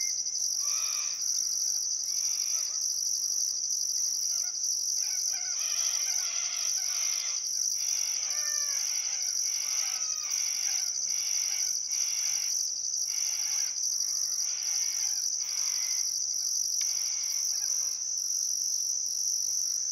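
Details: Crickets chirping at sunset on a still summer afternoon by the Barcoo River, Welford National Park, Outback Queensland, Australia: a steady high-pitched trill with a shriller pulsed layer breaking about once a second, and scattered bird calls and whistles throughout.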